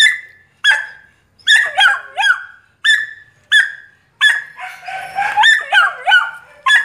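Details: Duron-coloured male Belgian Malinois from a breeding kennel, giving sharp high yelps that drop in pitch, spaced roughly every half second to second, with a brief rough bark-like burst in the middle.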